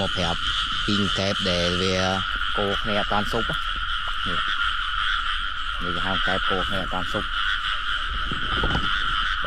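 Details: Frogs croaking in rain-soaked rice fields during a catching trip; rapid bursts of deep, stacked, rattling croaks crowd the first seconds, then scattered croaks continue over a constant high insect drone.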